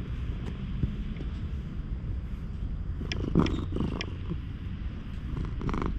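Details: Purring stray cat enjoying a brushing with a grooming file, captured on a GoPro HERO8; a continuous low throbbing rumble with a few louder rustling and scraping sounds partway through.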